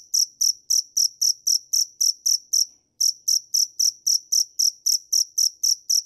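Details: Cricket chirping in a steady series of about four short, bright, high-pitched chirps per second, with a brief pause near the midpoint before the rhythm resumes; no other sounds.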